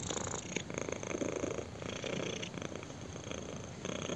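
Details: Purring kitten enjoying a chin scratch, the low vibrating rumble pulsing in quick regular cycles with short breaks between breaths, close and intense, in a quiet room.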